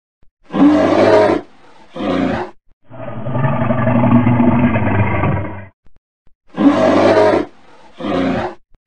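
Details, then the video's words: Large animal roaring: two short, harsh, broadband bursts, then a long, rough, sustained roar of nearly three seconds, then two more short bursts. Quiet gaps separate the sounds. "the big sound of large animals such as bulls, gorillas, rhinos, lions"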